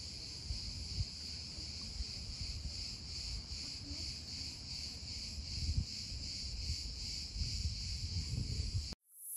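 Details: Summer cicada heard at a distance: a softer, banded high buzz pulsing steadily over low rumbling background noise, cut off abruptly near the end.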